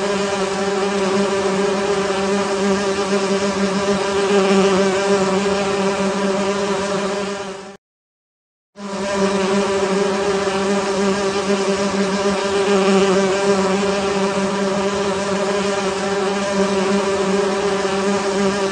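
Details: Honey bees at a beehive, a steady dense hum with strong low drone tones, loud and unbroken apart from a one-second silent gap partway through.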